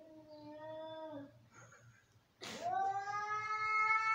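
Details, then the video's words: Domestic cats fighting angrily: a level, drawn-out growling yowl, a short pause, a sudden harsh spitting burst, then a rising, increasingly loud wail that keeps building to the end. "Angry cats, cats fighting,sounds of an angry cats"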